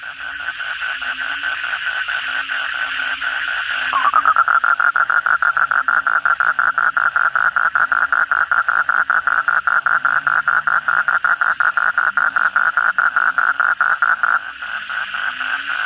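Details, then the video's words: Nighttime after heavy rain: against a background frog chorus, a nearby Asian common toad breaks into a long, very rapid rattling trill of croaks lasting about ten seconds before dropping back to the chorus. "suara kodok bangkong pada gacor setelah hujan lebat malam hari"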